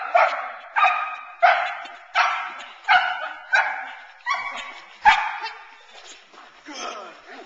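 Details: Teal, a nine-month-old Boerboel bitch, worked in protection training off the sleeve; a series of hoarse barks roughly every two-thirds of a second, fading near the end into quieter noise and faint voices.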